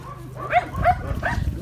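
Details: Three rough, mid-pitched dog barks spaced about a third of a second apart, over a low rumbling background.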